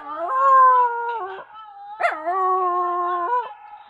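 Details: A dog gives a mournful howl, two long, steady, mid-pitched notes split by a short, sharp yip near two seconds, the tone stepping down slightly at each note's end.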